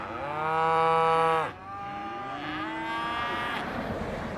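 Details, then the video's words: A cow gives a loud, long, steady moo lasting about a second and a half, then a softer, higher second moo rises and fades beneath a hissy background. "Voice of Cows"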